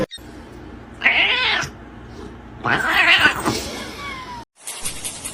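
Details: Domestic cat giving two harsh, drawn-out yowls, each lasting under a second with a brief pause between, over a steady indoor background and a faint sliding tone.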